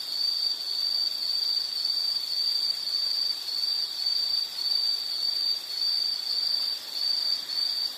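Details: An insect's shrill, sustained trill fills a calming nature soundscape, pulsing gently about once a second at a constant high pitch over a soft background hiss.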